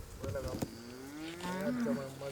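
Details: Bonsmara cattle, cows and calves being driven by herders on a farm; a drawn-out lowing moo that slides gently upward in pitch and then wavers, with men calling out to each other in Afrikaans nearby.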